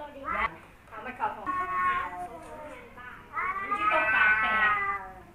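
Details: Two rival male cats, Kaopat and Ronja, face off after Kaopat returns home from a month away and finds a new cat. Drawn-out harmonic yowls rise and fall in two long bursts, with a person talking over them.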